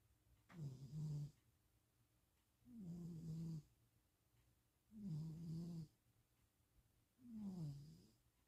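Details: Pet cat napping indoors in Austin, Texas, on 2026-04-07, snoring steadily: four low grating breaths, each lasting about a second, spaced around two seconds apart, with a slight downward slide in each.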